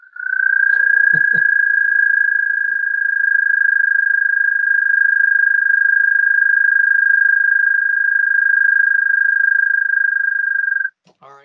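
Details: American toad (Anaxyrus americanus), North Carolina, gives its advertisement call: a long, steady, high-pitched musical trill lasting about ten seconds.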